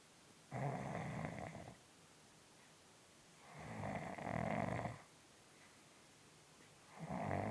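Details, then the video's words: A sleeping cat snoring loudly indoors, three long rasping breaths, each lasting one to one and a half seconds, separated by quiet pauses of about two seconds. "САМЫЙ ГРОМКИЙ ХРАП У КОШКИ"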